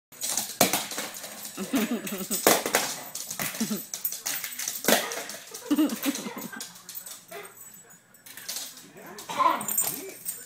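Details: Pet dog worked up over a toy car it keeps throwing around indoors; short, harmonic barks and yelps burst out between loud clattering and rattling of the toy, with a woman's voice briefly heard.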